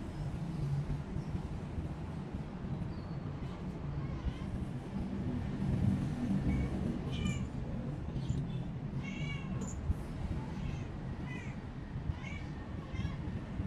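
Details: Jupi, a cat that is still eating little and being taken to a shelter, gives a run of short harmonic meows, several in quick succession in the second half, over a steady low engine-like rumble.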